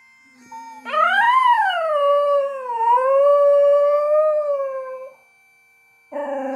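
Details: Border Terrier Toby howls along with bagpipes, Edinburgh Tattoo: a loud, rich howl sweeps up, dips, then holds a long, level wavering note for about four seconds before breaking off; a brief second howl begins after a pause.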